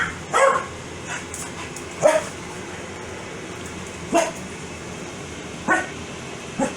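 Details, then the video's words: Foxy, a pet Corgi angry at her owner's sneezing, gives short barks spaced irregularly, about one every second or two, over a steady background hiss. "Corgi Gets Angry Every-time I Sneeze"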